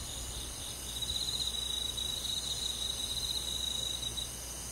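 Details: Crickets trilling on a summer night in a rural forest: high, fast-pulsed chirping from many insects merging into one even shimmer, briefly louder midway, with quiet background.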